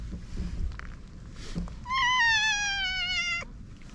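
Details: Stray cat, wary at first and then affectionate, gives one long meow of about a second and a half, held fairly steady and slightly falling at the end, over low background rumble.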